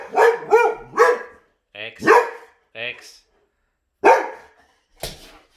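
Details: Boxer dogs reacting to a vacuum cleaner indoors: a quick pair of loud barks, a single bark, then two more spaced barks, mixed with a person's scolding voice.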